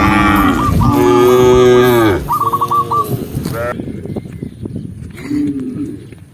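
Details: Tame cows herded down a green hillside in the countryside give a loud, long moo with several voices blending and a quick chirping series alongside, then fade to quieter rustling and a faint distant low.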